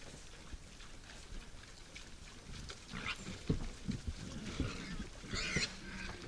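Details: Wild boars visiting a forest feeder at night: low, rough grunts clustered in the middle of the recording, rising to one brief, higher squeal near the end.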